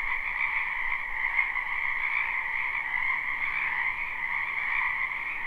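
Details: Croaking frogs fill a spring wetland behind a house, recorded live without loops: many overlapping trilled calls blend into a continuous bright hum, one brief louder click near the start, otherwise unchanging.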